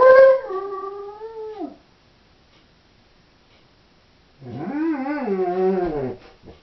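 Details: Doberman female left home alone, howling: a high steady note that slides down and fades within two seconds, silence, then a wavering, quavering howl of about two seconds with undulating pitch.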